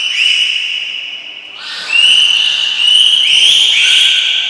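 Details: Captive belugas (Gray, Nana, Mirai) in training at Port of Nagoya Public Aquarium, 6 August 2023: a string of clear, upward-sliding whistles that settle into steady bright tones, one after another, in a reverberant indoor space.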